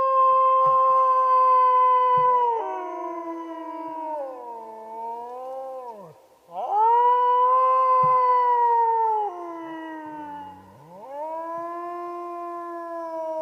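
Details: Wild wolf howling at length in open country. Long clear tones waver and bend downward, dip into a low wobbling moan, then surge back up into a second bright howl that slowly sinks and rises again, with faint low background thumps.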